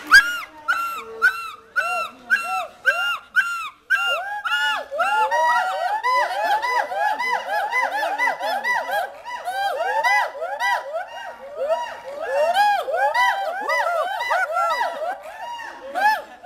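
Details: Captive hoolock gibbons (ulluk) at Dhaka National Zoo in Mirpur, Bangladesh, calling to visitors: rising-and-falling whooping hoots, spaced at first, then quickening into a steady stream of about two hoots per second.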